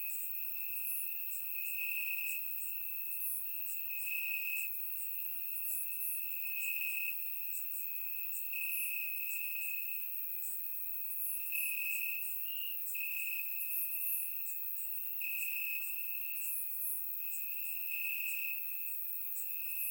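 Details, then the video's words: Night chorus of crickets in Bulgarian grass on a warm summer evening: a continuous shrill trill that swells and fades every second or so, with scattered sharper chirps of further crickets above it. "Cricket Sounds - Crickets Chirping at Night"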